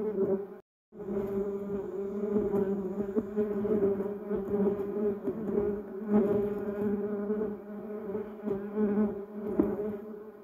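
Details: Bumblebees around a yellow cassia bush and Duranta erecta, a brief gap of silence near the start, then a full, steady droning buzz of several bees with passing swells in volume.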